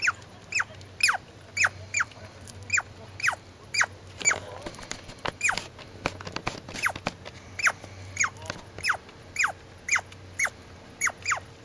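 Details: Squirrel calling with a steady series of sharp chirps, each sliding quickly downward in pitch, repeated roughly twice a second for over ten seconds, with a few faint clicks and a low background hum.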